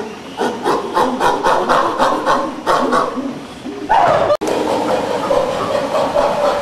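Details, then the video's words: Chimpanzee pant hoot, a ventilatory display of strength and dominance: a rapid train of breathy, rhythmic pants over three seconds, a short pause, then a louder rising hoot that levels into sustained, hoarse calling. "Chimpanzees Performing the Pant Hoot: Grunts, Vocalizations, Hooting"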